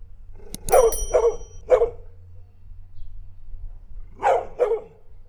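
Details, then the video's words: Domestic dog giving two quick bursts of barks, a double-then-single bark followed after a pause by a sharp pair, with a low steady hum underneath. "Som de cachorro - Latido de cachorro"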